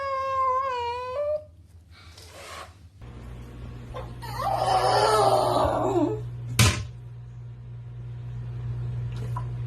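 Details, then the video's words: Indoor pet cat shown among angry, freaking-out pets gives one wavering, harmonic meow, then a loud, broad, rasping hiss-like outburst lasting about two seconds, followed by a sharp knock, over a constant low electrical hum. "funny dog and cats freaking out - Angry Dogs & Cats"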